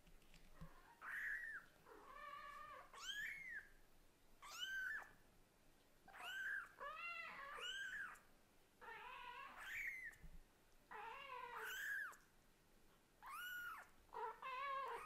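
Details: Kitten of a Scottish Fold and British Shorthair pair chattering hard to the mother cat indoors: a dense stream of high, arched mews with lower, drawn-out meows woven between, barely pausing for breath.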